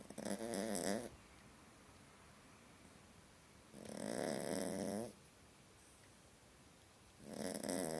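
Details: Sleeping small dog having a nightmare, giving hoarse snores: three rattling, buzzy bursts roughly three seconds apart, each lasting about a second, with near silence between them.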